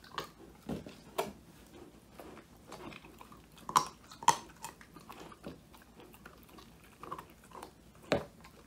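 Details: Male Old English Sheepdog named Woody gnawing a whole quail as his first treat, recorded indoors by phone; uneven crunching bites roughly twice a second, a few loud cracks standing out against a quiet room.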